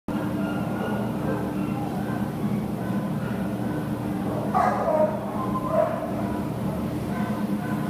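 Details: Labrador Retriever up for adoption, recorded 17 September 2015, giving two short, fairly muffled barks about a second apart midway through, over a steady low mechanical hum.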